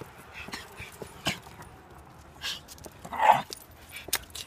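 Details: A Schipperke, upset at being left behind, gives a brief high whine among scattered clicks and soft rustling.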